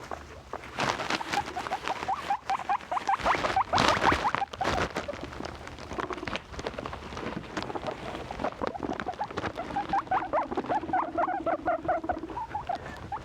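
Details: Pet guinea pigs squeaking amid loud rustling and patter, with a steadier run of repeated squeaks and a low hum near the end.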